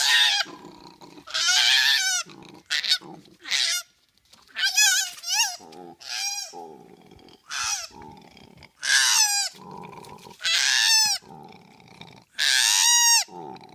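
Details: Koala joey crying pitifully after being chased down from a tree: loud, harsh, nasal wails with a sliding, strongly harmonic tone, in bursts of about one second repeated every one to two seconds, with quieter grunting breaths between.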